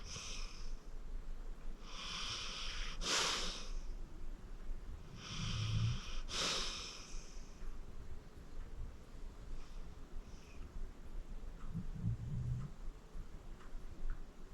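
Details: Acorn, a 14-year-old rescued pit bull, sleeps deeply indoors and snores: low rumbling snores alternate with breathy, wheezy exhalations roughly every three seconds, with quiet gaps between breaths.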